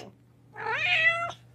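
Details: Domestic cat uttering one drawn-out, rising then level meow with bright harmonics, lasting under a second, over a faint steady hum.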